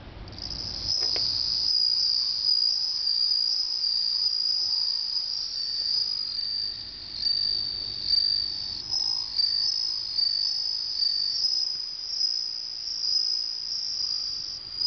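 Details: Bell cricket kept at home in summer, its song heard as a pet named Clara meets one for the first time: a continuous high, ringing trill that holds steady throughout, with slight pulsing in loudness and a quiet indoor background.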